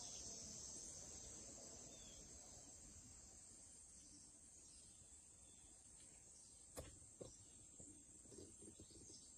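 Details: Cicadas, among Wisconsin's largest insects, hold a steady, high, shimmering buzz in late summer, calling to communicate, over a low outdoor rumble.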